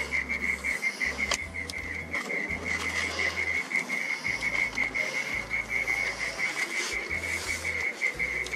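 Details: At dusk in a garden, a mole cricket burrowed in the ground sings a steady, unbroken, high churring trill that holds one pitch throughout.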